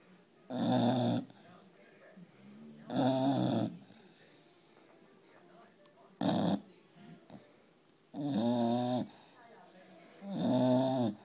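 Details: English Bulldog puppy, four months old, asleep indoors and snoring: five loud rasping, harmonic-rich snores spaced roughly every two to three seconds, with quiet breathing between them.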